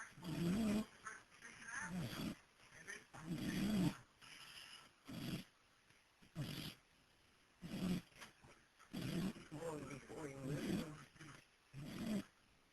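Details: Pet dog asleep on a porch, recorded on a cell phone, snoring in a run of rough, grunting breaths that come roughly every second or two, with faint household noise behind.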